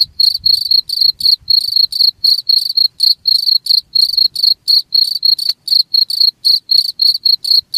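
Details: Chirping cricket sound intended for repelling rats, short bright pulses repeated rapidly at about four per second, evenly paced, faint low rumbles underneath.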